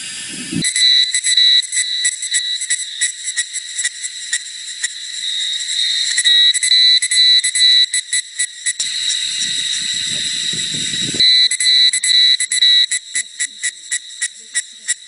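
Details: Cicadas singing in forest at Jinlongshan, Nantou, on a hot, muggy summer afternoon, 28 May 2016: a shrill, high, metallic buzz, pulsing in rapid bursts at first, then a steady drone, then stuttering pulses again, with brief low rumbles between.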